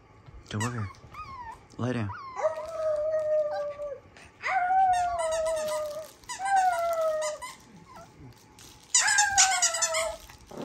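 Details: Two dogs, Jett and Foxy, howling: drawn-out, steady tones that slide gently downward, each about one to two seconds long, starting after a couple of sharp yips, with human voices faintly underneath.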